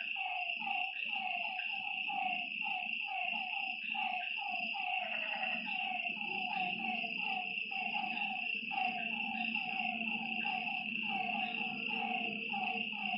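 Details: Frogs at a lakeside by night: a steady chorus of brief, repeated croaks from many callers, a continuous shrill insect drone and a soft low hum underneath.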